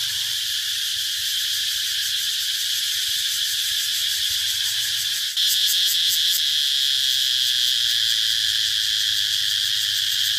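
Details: Steady high cicada buzzing with a brief dip at about five seconds. After that the sound grows slightly louder, with a quick rhythmic pulsing of about four beats per second.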